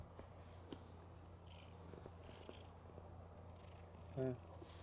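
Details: Mookie the cat, a female, sleeping with eyes open and snoring loudly: a continuous deep rumble underneath faint scattered clicks, with a brief tonal squeak near the end.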